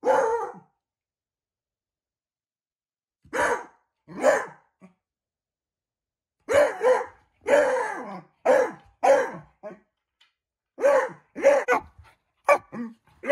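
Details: Beagle barking at a shadow: irregular short, hoarse barks and huffs, one at the start, a pair after a pause, then a denser run of about a dozen barks with uneven gaps.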